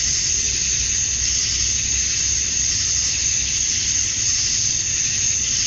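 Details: Male cicadas chirping to attract females at summer dusk in Georgia, USA: a dense, unbroken high buzzing hiss with gentle swells in loudness and no other clear sounds.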